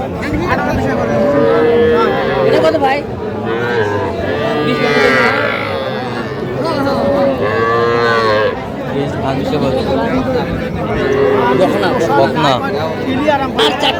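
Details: Young cattle, small bulls and heifer calves, for sale at a busy Jamalpur market in Bangladesh on 19 August 2025. Repeated drawn-out, tonal moos come in bursts a few seconds apart, mixed with shouted prices and crowd noise.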